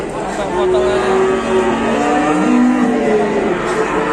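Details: Newly arrived cattle at an Indonesian livestock pen, its nose split. Several level and gently sliding moos overlap, mixed with people talking and faint music.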